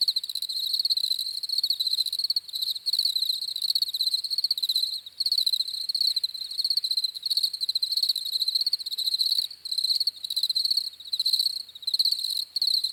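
Crickets chirp in a steady, shrill pulsing trill, broken by brief pauses every second or two.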